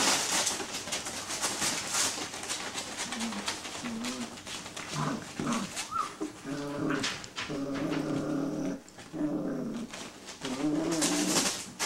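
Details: Six-week-old Greater Swiss Mountain Dog puppies indoors: short low growling and whining bursts with tonal, harmonic-rich voices, rising and falling, several overlapping in the second half, over steady rustling and scratching noise.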